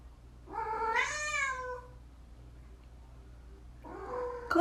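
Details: Domestic cat indoors giving a drawn-out rising-then-falling meow with rich harmonics, followed after a two-second pause by a second, shorter meow that breaks off; a voice speaks nearby and a low hum runs underneath.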